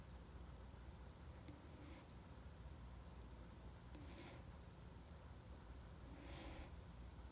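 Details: Standard Poodle named Rintaro snoring while asleep. A soft breathy snore with a faint whistle recurs about every two seconds, three times in all, over a quiet low room hum.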